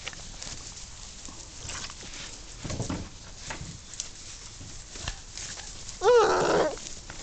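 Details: German Shorthaired Pointer puppies let out on long grass for the first time on an afternoon of 12 June 2014, exploring and playing; one short wavering high whine near the end over rustling, footsteps and handling noise.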